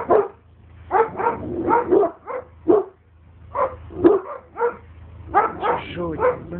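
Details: Barking at a stranger, the Alabai Oktash gives irregular hoarse barks, single and in tight pairs or triplets, about a dozen in all, over a faint low hum.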